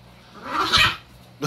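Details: Quarantined puppies play-wrestling in May 2020 let out a single short, rough, bark-like yelp of about half a second, followed by a soft thump, over a low steady hum.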